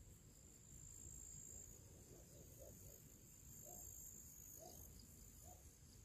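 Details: Crickets and other little creatures singing their pre-evening summer song outdoors: a sustained high, thin trill with a faint pulse, plus a few soft, brief lower chirps scattered through, over low rumble.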